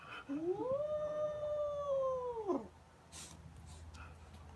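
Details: Young kitten growling over a fluffy toy it carries while running around; one long, level, harmonic moaning wail of about two seconds that drops sharply at the end, followed by quiet room noise.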